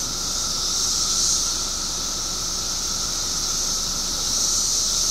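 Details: A mass chorus of periodical cicadas, emerged in Illinois after 17 years underground: a loud, continuous shrill whine with a lower steady hum, swelling slightly near the start and again at the end.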